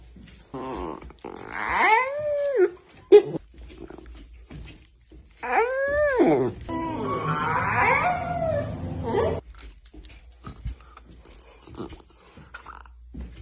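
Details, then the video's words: Puppy yawning in front of the camera indoors: several voiced, squeaky yawns that rise and fall in pitch, with a long breathy, strained stretch in the middle and quiet shuffling between them. "Funny cute puppy yawning video"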